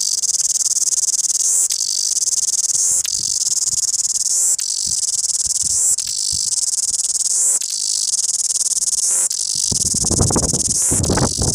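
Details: A cicada in Wellington sings a loud, shrill, continuous buzz that swells in pulses about every one and a half seconds.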